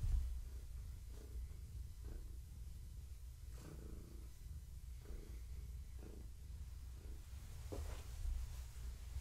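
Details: Gaia, a pregnant long-haired tabby cat whose kittens are moving inside her, purrs during an evening petting session; a steady low rumbling purr with soft rhythmic pulses at each breath, plus faint rustling from handling.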